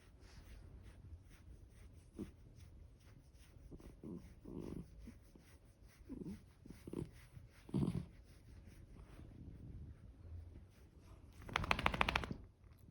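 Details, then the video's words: Senior dog, 13 years old with a heart murmur, being vocal: scattered short low whimpering and grumbling bursts, irregularly spaced, over a quiet background, ending with a loud broadband rustle. "Can't help being vocal, Senior dog 13 with heart murmur"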